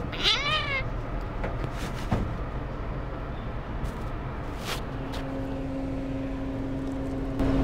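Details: Grumpy sick kitten, held for cleaning of eye discharge and eye drops, gives one sharp, arching meow at the start. Handling rustles, clicks and a steady low tone follow.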